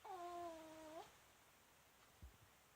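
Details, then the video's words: A sleeping female Pomeranian called Myu lets out a loud snore, a flat nasal whistle of about a second. A soft low thump and quiet breathing noise follow. "ポメラニアン かわいい！ミュウちゃん♀のいびき！"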